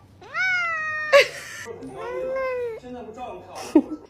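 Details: A pet cat meows in a small room: two drawn-out, tonal meows that rise and then hold, the second lower and longer. Brief sharp knocks, human voices and music sit between them.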